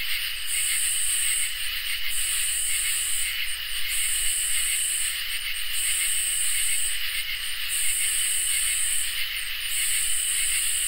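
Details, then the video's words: Summer night chorus of crickets and katydids, with continuous thin cricket trills under rhythmic rasping katydid phrases that repeat roughly every two seconds, each ending in a few short ticking pulses. "Crickets and Katydids in Summer | Ambient Night Chorus"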